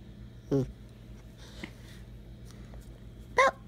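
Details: Rescued shelter dog Bella, a pet demanding to be petted, indoors: two short yelping whines, the first low and quick, the second higher and strained near the end, with quiet room hum between.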